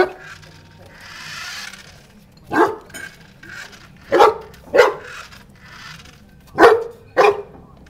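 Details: Deep, single barks from a one-year-old Newfoundland while it plays with a toy car, five woofs in loose pairs, with rustling and scuffling noises between barks.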